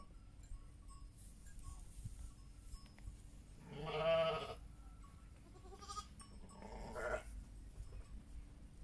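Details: Heidschnucke sheep with their young lambs; one loud, drawn-out, wavering bleat lasting about a second rises out of low background rumble, followed by a second, quieter and shorter bleat.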